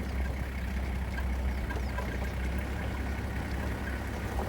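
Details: A steady low engine rumble from an idling vehicle fills the recording. No animal calls can be picked out.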